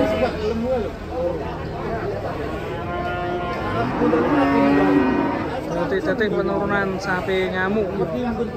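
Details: A herd of cattle stepping off a truck moans in deep, sustained moos that swell mid-way into a strong, wavering bellow, with people talking around them.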